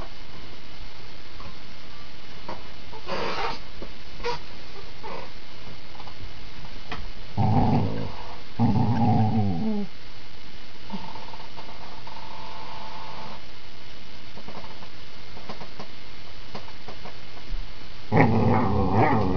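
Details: Rhade, a critically ill dog, growls while playing tug with his little companion Rommy, tail relaxed; bursts of low, rough growling and short whimpers come in patches with quiet gaps indoors, ending in a louder growling burst.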